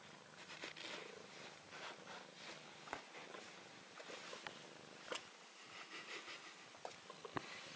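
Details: Bengal cat (Felis catus), purr: contentment, a cat at ease.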